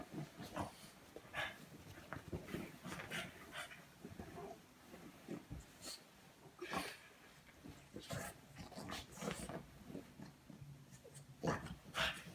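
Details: French Bulldog; snorts and whimpers; waking its owner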